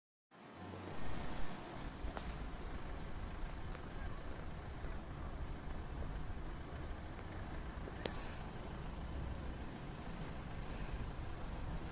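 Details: Outdoor urban noise of passing cars and a steady road rumble, with faint distant voices and a couple of brief clicks.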